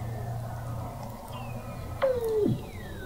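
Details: Weddell seal under the sea ice of McMurdo Sound, Antarctica, recorded in November 2017 from an observatory 21 m below the ice; a slow descending whistle, then a loud short tone dropping sharply in pitch, over low rumble.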